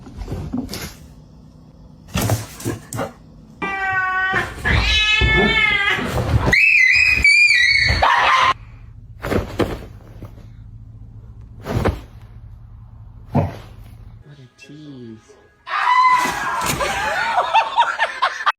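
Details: Domestic cats being playfully teased indoors, giving loud drawn-out meows and wails with rich harmonics in the middle stretch, a higher meowing burst near the end, amid knocks and thumps in a small room.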